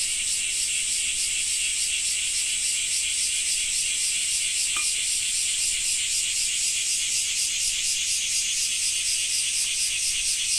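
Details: Cicada song during summer rain in Japan: a loud, high, pulsing buzz that throbs a few times per second without pause, with faint rain hiss beneath.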